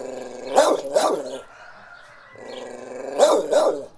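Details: Dog in a countryside village backyard on an afternoon, with birds and roosters in the background. It gives two pairs of loud, sharp barks about three seconds apart, joined by a low continuous growl.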